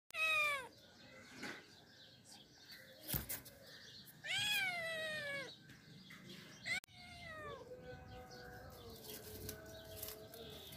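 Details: Ocicat, a spotted domestic cat breed named for its ocelot look, giving loud drawn-out meows with bright harmonic stacks, falling at the end, three long cries spaced a few seconds apart with quieter calls and faint background noise between.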